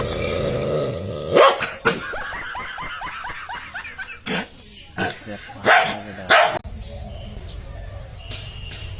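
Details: Dog reacting to its reflection in a mirror for the first time, letting out several loud sharp barks and a quick run of short yelping notes, with a person calling out nearby.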